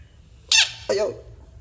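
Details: American bullfrog screaming: two harsh squealing cries within a second, the first loud and very high, the second lower and falling, over a faint low hum.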